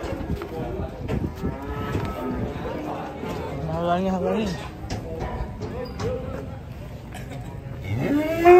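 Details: Three banteng cattle on show at Grabag market, drawing a watching crowd: short, low, rising moos stand out midway through a dense mix of music, clapping and people talking.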